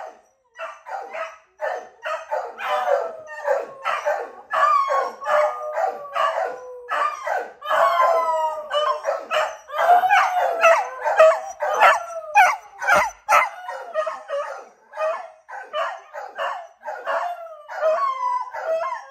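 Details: Several pet beagles bay and howl together in a dense, overlapping chorus when one owner goes outside briefly. Wavering, yodel-like cries rise and fall almost without pause, with a sharp knock midway.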